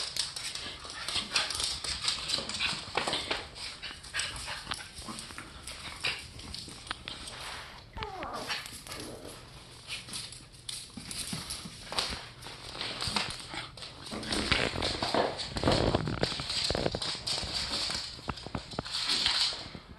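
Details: Rough play between two pet dogs, one-year-old Rocky and eight-week-old Terry, with a Boston terrier newly joining the household: rapid scrabbling paws and clicking run throughout, broken by brief snarling growls and yips.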